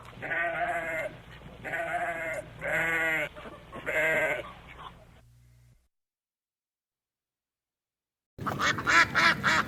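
A goat gives four quavering, nasal bleats about a second apart. After a short silence, a harsher bleat starts.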